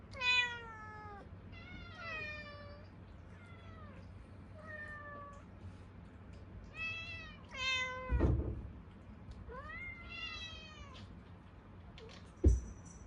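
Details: Hungry Munchkin cats, kittens among them, meowing indoors: a series of short harmonic meows, some falling and some arched, about every one to two seconds, with a brief thump near the end.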